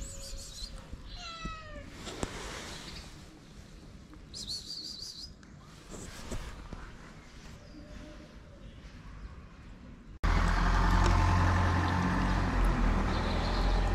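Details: Hungry cats, six gathered at feeding time at a small shelter for abandoned cats and kittens in Morocco, give a few meows: a falling, strained mew near the start and a short, high thin cry, before a burst of loud rushing noise.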